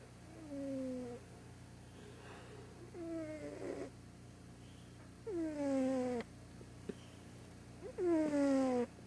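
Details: Large white deaf cat in a loud morning snooze, snoring in four drawn-out tonal breaths, each sliding downward with stacked harmonics, spaced irregularly with quiet pauses between; no other sounds.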